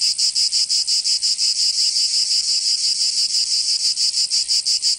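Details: Summer cicada chorus from Provence in the south of France, a loud shrill buzzing drone broken into quick even pulses roughly three each second, continuous and unaccompanied.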